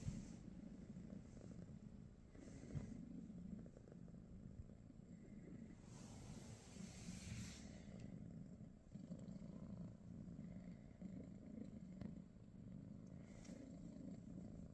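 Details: A British Shorthair cat purrs at home in the morning, a soft, continuous low rumble with slight surges. A brief hiss-like rustle is heard midway.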